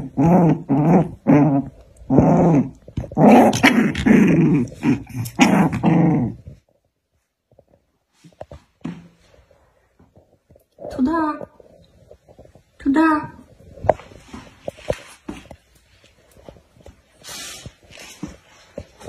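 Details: Black dog and white dog fighting: dense, rough growls and snarls fill the first six seconds, then a near-silent pause, followed by two short, higher, wavering yelps around eleven and thirteen seconds and scattered scuffling noises.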